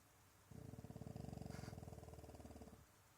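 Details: French Bulldog snoring while pretending to sleep to avoid going outside for a wee: a low, rapid, rattling snore lasting about two seconds, pulsing about four times a second, between a person's calls.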